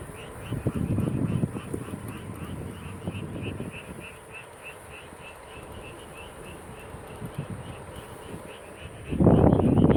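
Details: Frog chorus near King Sejong's UNESCO-listed royal tomb on the way home from work: a regular train of short, bright croaks about four per second. Low traffic noise fades midway, then a loud rumble returns at the end.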